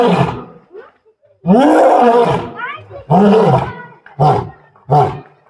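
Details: An Asiatic lion at Birsa Zoological Park, Ranchi, roars in a bout of deep, moaning calls that shorten into grunts, roaring twice and echoing widely as crowds gather.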